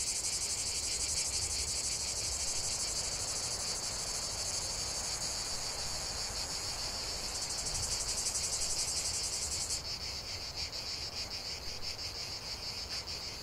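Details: Cicadas in chorus, a dense, continuous buzzing drone with a fast pulsing texture that drops abruptly near the tenth second as one singer stops, leaving a lighter rhythmic buzz over a faint low rumble.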